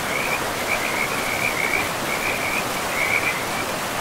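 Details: By a forest river, frogs give high-pitched rattling trills in clustered bursts, with a brief lull before a final burst, all over the constant hiss of running water.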